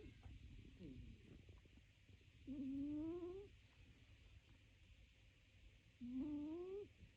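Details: Snoring cat asleep, giving two soft whistled breaths that climb gently in pitch, each near a second long and about three and a half seconds apart, over a low rumbling background.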